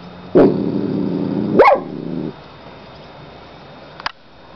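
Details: Molly the dog gives two loud sharp barks about a second apart, each trailing into a low growl, followed by a faint click, in a quiet indoor room.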